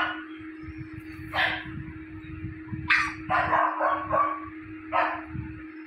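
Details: Japanese Spitz puppy, recorded between 31 and 50 days old, gives a few short, bright yapping barks spaced about a second apart over a steady electrical hum and low rumbling background noise.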